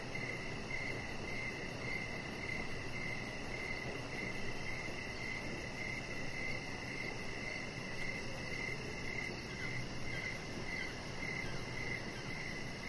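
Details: Evening cricket chorus by a deck with decoration lights: regular high chirps ticking along in an unbroken chain, a thin very high pulsed trill above them, and continuous broadband low rumble underneath.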